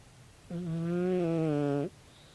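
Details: Tabi, a sleeping 16-year-old calico cat, gives a single loud snore lasting over a second, a steady harmonic drone with a slightly falling pitch at the end, in a quiet indoor room.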